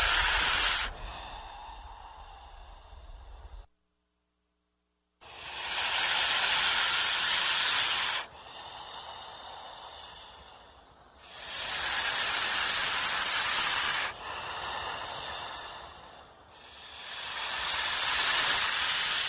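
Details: A frightened or threatened snake hisses in long breathy bursts, each lasting several seconds with short pauses between, harsh and high like air forced through a narrow gap.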